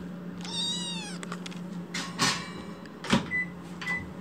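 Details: Foster kitten Chitchi crying after waking: one clear long arched meow, then thumps and rustling with a couple of faint short squeaks, over a steady low hum.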